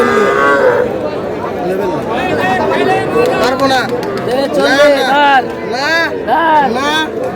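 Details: Young bull and heifer calves being bought at a cattle market in Madaripur on 25 July give many overlapping, arching bawls that swell in the second half, with people bargaining and chatting throughout.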